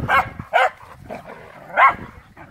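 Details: Airedale Terriers playing together in August 2017 with a Welsh Terrier nearby: three sharp, bright barks spaced irregularly, the last loudest, over a soft background of panting and movement.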